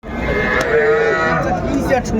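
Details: Cattle at a traditional weekly cattle market in Mymensingh, Bangladesh, where small bull and heifer calves are sold, recorded 14 January 2025: a drawn-out, steady harmonic moo amid dense market noise and murmuring crowd.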